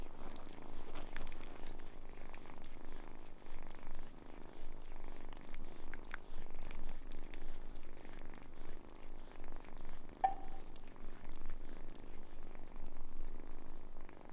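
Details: Samson, a cat rescued as a kitten from a car under repair and now grown, purrs indoors in a steady low rumble that swells and fades in long waves, with faint clicks above.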